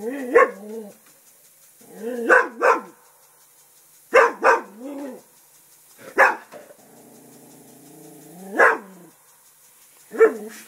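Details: Pet English Springer Spaniel barking at a turtle, guarding the house: loud, abrupt barks, often in doubled bursts, spaced about two seconds apart, with one stretch of drawn-out, low growling between them.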